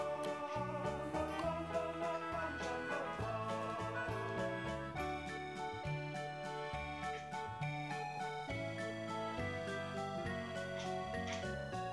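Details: Steady background music on organ and keyboard with a rhythmic beat plays throughout, with no animal voice heard.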